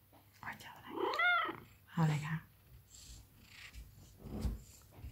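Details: Cesar, a giant Maine Coon cat, meows while being affectionate, coming to nuzzle for attention indoors: one rising-and-falling harmonic meow near the start, then a lower murmur, mixed with a woman talking in Thai in a small room.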